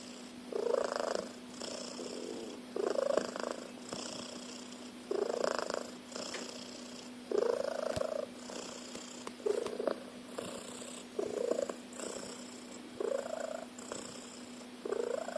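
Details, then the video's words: Pet cat snoring loudly like a car engine: a long run of rough, rumbling inhalations repeating about every two seconds, each a short grating drone, with faint clicks in a quiet room. "Cat Snores like a Car Engine."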